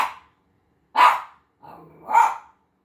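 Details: A Havanese dog reacting to seeing himself on TV gives two loud, sharp barks about a second apart, with a brief low growl just before the second; otherwise quiet indoors.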